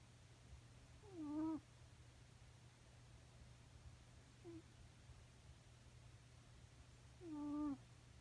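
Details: Sleeping domestic cat snoring indoors: squeaky, tonal, slightly falling snores with clear overtones, two loud ones about six seconds apart and a faint one between, over a steady low hum.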